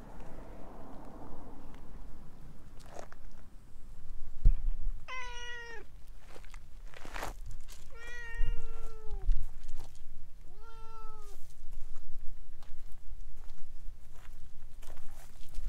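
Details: Talkative orange tabby stray cat clinging around a person's legs, recorded on a GoPro HERO8, gives three clear, loud meows about three seconds apart, each rising briefly then sliding downward, with rustling and footstep noises between.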